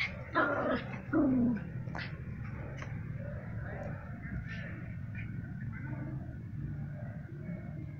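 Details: Yorkshire Terrier, a small pet breed, giving two quick high yaps followed by a whining, falling whimper, then only low background noise and faint distant sounds.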